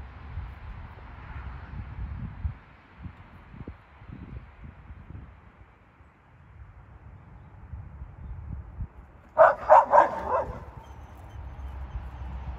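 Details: Pups in a yard barking at alpacas across a fence, wanting to chase them. A quick burst of four or five sharp, high yapping barks near the end, after a long stretch of low rumbling background noise.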